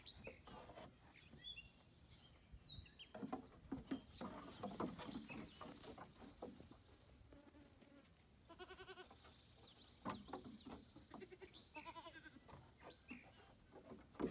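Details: Female goats playing on their new playground, giving short harmonic bleating mahs, two clear bursts in the second half, amid busy hoof clomps and knocking thumps throughout.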